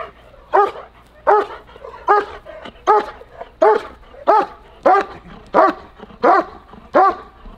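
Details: German Shepherd in protection training, barking steadily: eleven strong, harsh barks spaced under a second apart, even and forceful, with little else heard.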